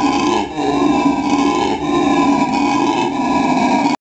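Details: At the La Plata zoo in Argentina, a male black howler monkey produces its characteristic call, an unbroken, grinding, deep roar rich in overtones, with slight dips in loudness, ending abruptly after four seconds.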